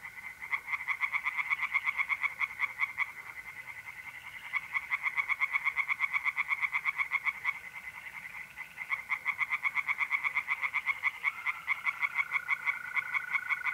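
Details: Tree frogs singing in a pond on an April night in North-East Italy: a fast run of pulsed, rattling croaks that pauses twice and then resumes, with a steady high trill from mole crickets sounding underneath.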